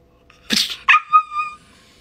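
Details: Kylo, a pet dog, playing as someone prepares a mock one-inch punch: a sharp sneezy burst, then a short tonal whine held level for about half a second before fading, in a quiet room.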